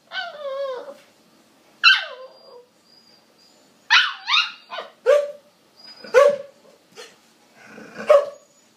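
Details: Female Siberian Husky puppy 'talks' in bursts of high, wavering yips and whines while trying to make friends with a Border Collie and get it to play.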